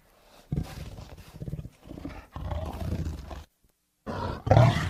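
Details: Tiger in anger giving short, choppy growls and snarls in several bursts, a full second of silence, then a final harsh, loud roar.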